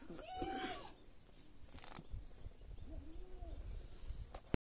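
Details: A village goat gives a wavering, nasal bleat near the start, then a softer, arching bleat later, amid low rumbling background noise and scattered knocks.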